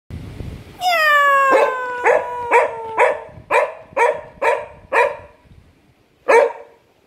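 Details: A cocker spaniel, annoyed at its owner making cat sounds, gives a long falling whine, then a string of sharp barks about twice a second.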